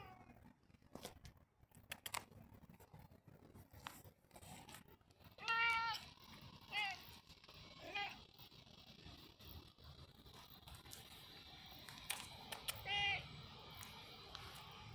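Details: Domestic cat, described as expressive, giving a few short, tonal meows spaced a second or more apart, with a longer gap before the last one, over a steady background hiss and rustling.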